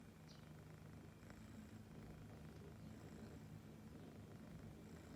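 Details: Siberian kitten purring happily while listening to birdsong: a soft, steady, low rumbling purr throughout, with faint high chirps from small birds now and then.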